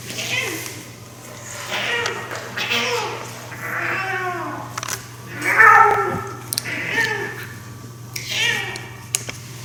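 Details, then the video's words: Male rescue cat aged seven, playing indoors with a favourite toy and producing his peculiar noise; several warbling, uneven meows mixed with a woman speaking softly, over a constant electrical hum. "Our cat makes a strange noise with his toys"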